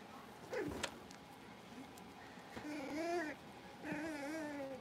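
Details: Indoor puppy pen holding five young blenheim Cavalier King Charles Spaniels at play, born over New Year's; a sharp click, then two drawn-out, quavering whimpers, each rising and wobbling, with faint room noise.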